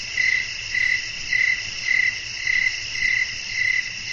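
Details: Crickets calling at night with wind blowing: short, even chirps at a steady pace, roughly two a second, about eight in all, over a continuous high shimmering hiss of many other insects.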